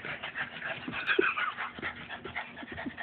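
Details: A four-year-old male Boston Terrier, tired from pushing a heavy piece of petrified wood he treats as his ball, pants rapidly and steadily with a faint whimper. A person says a word and laughs nearby.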